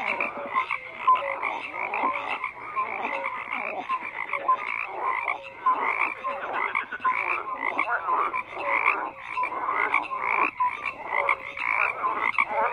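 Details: Crowded frog chorus with overlapping buzzy, pulsed croaks and occasional brief tonal notes, a steady wall of calling that rises and falls slightly over time.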